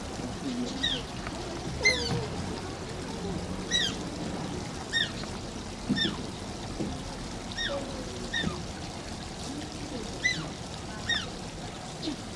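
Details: Shishimaru, an Asian small-clawed otter at Oji Zoo, whines in a long run of thin, high, arched squeaks at roughly one-second intervals, with running water splashing and faint voices behind.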